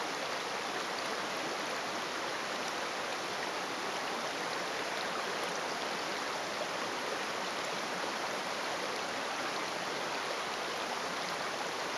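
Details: Steady rushing stream water fills the whole clip, with no animal voice standing out.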